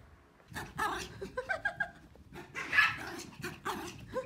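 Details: Three Pomeranians playing, running and chasing each other give sharp, high, yappy barks in quick uneven bursts.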